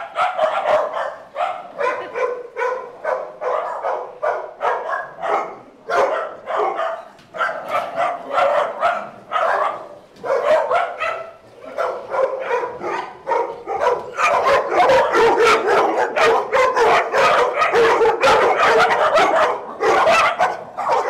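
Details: Playful dogs at Doggie Oasis Day Care barking in loose bursts, about two or three barks a second, growing into a louder, nonstop tumble of overlapping yaps near the end.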